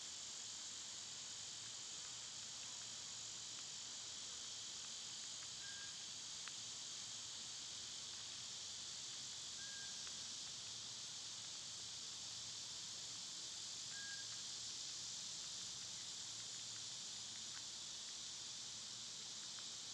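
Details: Cicadas droning in summer, heard on one of their quieter days: an unbroken high hissing buzz holds steady throughout, with a few short thin bird notes and faint clicks scattered through the middle.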